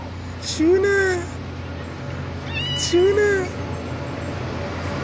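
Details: A fearless little male kitten on a city street, playing and challenging bigger male cats, gives two short rising-falling meows about two seconds apart over steady low traffic hum, with a person talking softly nearby.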